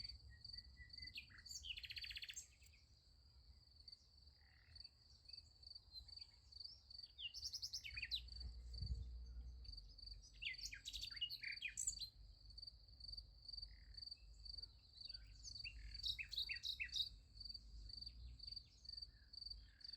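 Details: High, steady pulsing of crickets at night next to a sunflower field, joined by several short bursts of bird twittering spread across the recording, over a faint low background rumble.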